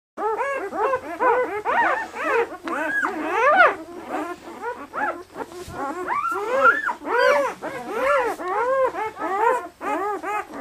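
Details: Newborn red and black German Shepherd puppies, 48 hours old and very lively, from a litter of eight at a breeder in Maine, New England; overlapping high arched whimpers and squeals rise and fall rapidly, several pups calling at once.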